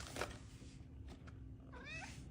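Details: Domestic cat indoors giving one short meow near the end, a bent, harmonic-rich note that rises then falls, after a few soft knocks and clicks, over a steady low hum.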